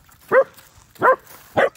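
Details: Scared German Shepherd puppy confronting a fake deer barks three times in quick succession, each bark short, loud and clipped, with about half a second of quiet between them.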